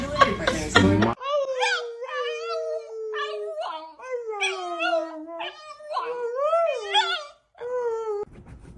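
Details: A pet dog at home gives a long run of sustained, wavering, tonal howls and whines that slide up and down in pitch, after a brief burst of human speech at the start.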